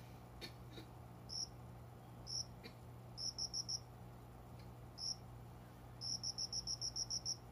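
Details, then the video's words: Unseen cricket singing before dawn in a window-side planting area indoors during summer; bright, high chirps come as isolated single pulses and quick trains of six to eight, with a constant low electrical hum and a few faint clicks. "虫の鳴き声 この虫の声は鈴虫のかな？コオロギ？"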